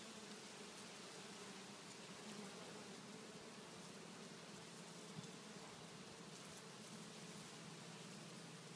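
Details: Many bees swarming on a kumquat tree in a front yard, a continuous broad droning hum with faint low tonal bands under a hissy wash of wingbeats.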